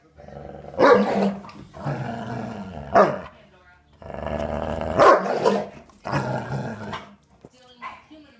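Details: A pet dog playing and barking at its owner: rumbling growls broken by sharp barks near one, three and five seconds, about four bursts overall, ending with a faint whine.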